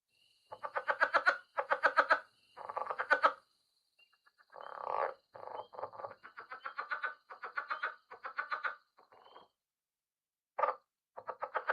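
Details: A male leopard frog, possibly a Rio Grande leopard frog, gives harsh, rapid chuckling croaks in pulsed bursts as an advertising call to females, with a faint steady hum behind.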